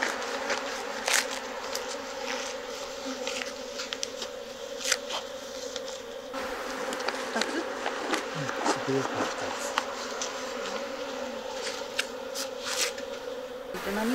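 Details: Japanese honeybees (Apis cerana japonica) at a beehive in Kyoto, Japan, during a honey harvest from box hives. A steady low hum with layered tones runs throughout, broken by frequent sharp clicks and knocks of handling.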